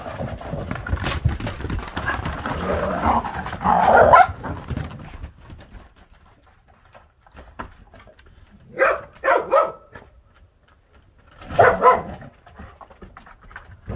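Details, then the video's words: Female Korean Jindo dog in heat, kept at a rural seaside village home in Gochang, Korea, fussing coyly toward the male dog; short, whiny, harmonic yelps come in three bursts, with rustling and handling noise in between. "마법에 걸렸다고 아빠개에게 어리광부리는 진돗개 아가씨 봄"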